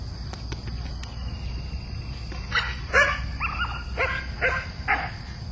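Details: Belgian Malinois named Mina on her first bite-work chase, barking at the bad guy with a friendly rather than aggressive bark; about six short harmonic barks in the second half over steady outdoor hum and a constant high tone.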